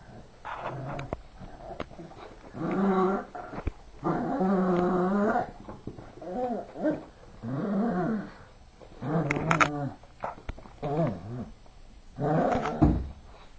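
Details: Yorkshire terrier growling while playing with a ball and toy indoors; rough, throaty growls come in bursts of one to two seconds, repeated about every two seconds, with soft thumps between.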